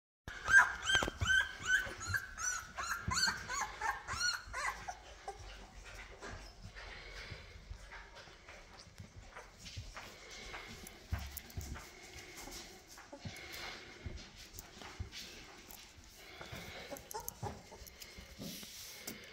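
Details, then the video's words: Newborn Labrador Retriever puppies with their mother, who is preparing them for lunch: rapid high squeaky whimpers and squeals repeating quickly for the first few seconds, then quieter scattered squeaks and shuffling indoors. "Hundemutter Chilly bereitet ihre Welpen auf Mittagessen vor."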